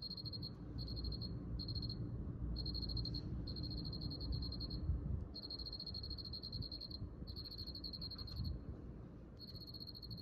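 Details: Cricket giving repeated high-pitched pulsed trills in bursts of roughly half a second to a second, separated by brief pauses, against a constant low background rumble.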